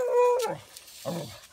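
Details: A female beagle barks at a deer, a drawn-out, tonal yelping bark and then a second shorter, rougher one; she barks only when scared.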